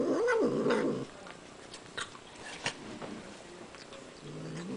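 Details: Small domestic female kitten eating sour cream gives one brief wavering growl-like 'nom' burst at the start, then quiet licking and chewing noises, with a faint low murmur returning at the end.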